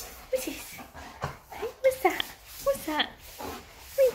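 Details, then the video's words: Excited German Shepherd greeting the person who owns it: short, high yelping whimpers repeated about every half second to second, interleaved with spoken words. "Sweet Dog GERMAN SHEPHERD Greets Owner"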